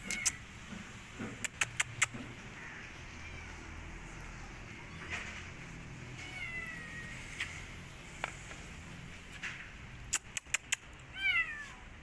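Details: Rescued street kitten that wants to return to the streets and refuses food, giving faint, thin meows now and then over a low background rumble, with sharp clicking knocks early on and near the end.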